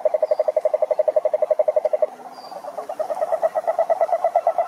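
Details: Two bursts of toad trilling: a crisp, evenly pulsed rattle for two seconds, a brief pause with a soft low note, then a denser, overlapping trill resumes; a couple of thin high chirps are heard.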